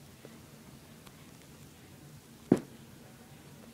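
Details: A quiet indoor room with faint background hiss and one brief knock or thud.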